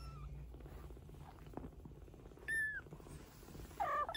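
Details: Maine Coon mother cat and her 15-day-old kittens: a soft, low rumbling purr runs underneath, and two brief, high mews break in near the end.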